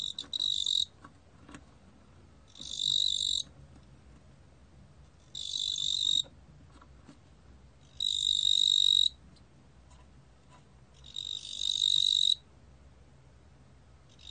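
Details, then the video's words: Korean ttungbo-gwitturami cricket, a 2020 National Institute of Biological Resources recording, producing a series of short, high, buzzing trills about a second long, with pauses of roughly one and a half to two seconds between bursts. "뚱보귀뚜라미, 여러번 듣기, 곤충소리"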